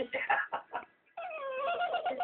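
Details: Amy, a female Westie, reacting to a cat with a quick string of pulsed, stuttering squeaks, a brief break, then a drawn-out tonal whine that dips slightly and wavers; indoor setting.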